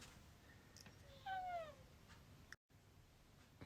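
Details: Alfy the cat begs to go outside in the snow on a cold day, giving one clear harmonic meow that bends slightly downward, with quiet room noise around it.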